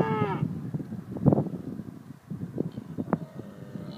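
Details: Cows on the Ring of Kerry, Ireland, giving low, gravelly moos in short bursts, with a brief higher harmonic tone at the start and scattered clicks through the clip.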